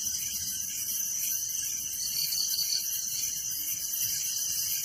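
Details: Unbroken, shrill, rapidly pulsing chirping of crickets at night in a village, a dense even chorus with no other sounds standing out.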